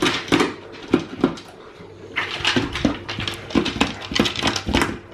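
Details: Male Alaskan Malamute indoors at feeding time, hungry and begging for food: bursts of short whiny yips and groans come roughly every half second, with some clattering and shuffling in a small room.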